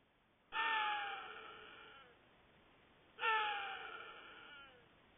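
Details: An axis deer buck caught on a trail camera gives two loud, harsh, screaming alarm barks, each about a second and a half long. Chital (Axis axis).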